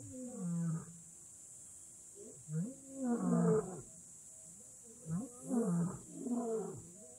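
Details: Lion in Africa's Kgalagadi Transfrontier Park letting out strained, moaning roars: drawn-out calls with wavering, rising and falling tone, in irregular bursts separated by short pauses.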